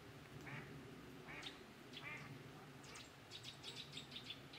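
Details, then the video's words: Green frogs (Pelophylax) at ponds in the Drava valley, Slovenia, 23 July 2023: several harsh, nasal croaks in quick succession, ending in a rapid rattling burst of clicks, over steady background chorus. "Pelophylax sp. ZELENA ŽABA"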